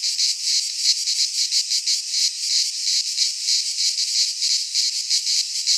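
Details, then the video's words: Greek pine forest cicadas singing in midsummer, their high, sizzling buzz rising and falling in quick rhythmic beats about three per second, unbroken from start to finish. "Cicadas singing in midsummer - Nature sounds from the Greek fauna - Sounds of cicadas"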